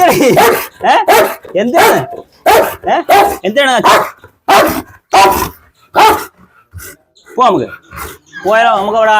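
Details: A dog described as one that bites and tears, filmed during a leash challenge, gives a run of short, sharp barks about every half second, then a person talks over the last seconds.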